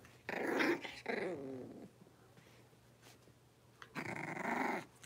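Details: Indoor pen of five blenheim Cavalier King Charles Spaniel puppies aged six weeks, born at New Year. Two soft, throaty growling bursts, each lasting about a second, separated by near quiet with a low room hum.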